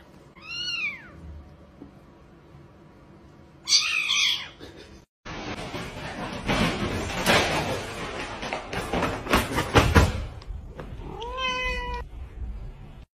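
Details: Domestic cat from a funny pet compilation: a short bending meow, a louder meow a few seconds later, then a stretch of loud rustling and clattering noise before a final wavering meow.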